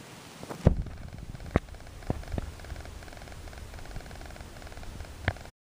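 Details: Two-day-old Tonkinese kitten from Tango's litter purring: a faint low ticking rumble running steadily through the recording, broken by a few sharp clicks and taps.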